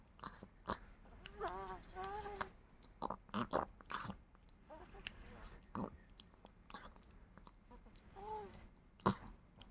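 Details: Chihuahua indoors getting ready to sleep, giving two wavering, nasal whines that rise and fall, then a shorter one later, amid soft licking, smacking and rustling clicks.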